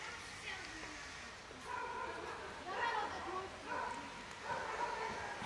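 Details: Hungry black cat, found hiding under a car, following a person after being shown food; a series of drawn-out meows rising and falling, roughly one each second, over steady background hum.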